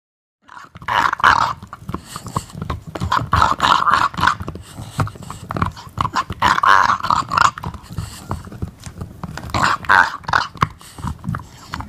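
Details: An English Bulldog makes rough, throaty growls and grunts in uneven bursts while gnawing on a bone.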